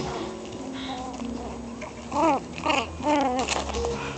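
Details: Meena, a nine-week-old Chihuahua puppy, playing and biting fingers; short high whining yelps with arching pitch, three quick cries in the second half, over a steady indoor hum.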